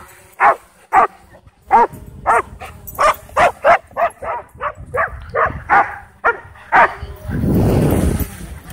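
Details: Dogs at a dog park, whipped into a frenzy by a DJI Mavic 2 drone, give sharp barks roughly every half second, some paired in quick doubles, before the barking gives way to a burst of broad rushing noise.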